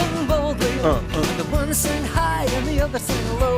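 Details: Pop music with a sung melody over steady bass and percussion, with no animal sounds. The vocal line slides and wavers above a thumping low accompaniment throughout.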